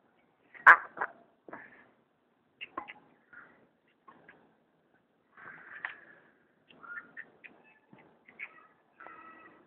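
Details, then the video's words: Striped hyena cub, kept as a pet, calling at feeding time. A loud squeal opens a run of short, squeaky whines, some clearly toned and rising, repeated at irregular intervals. "my pet striped hyena cub.....feeding time"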